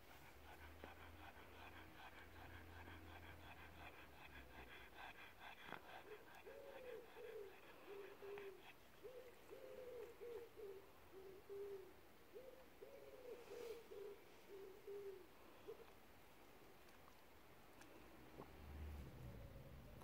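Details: A pug lounging in the sun on a deckchair gives a run of low, wavering whines and moans, each briefly rising and falling, excited by being petted.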